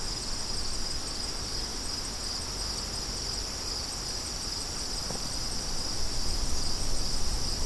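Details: Crickets chorus steadily in high, continuous shimmering bands, with a broad rush of wind underneath that swells toward the end.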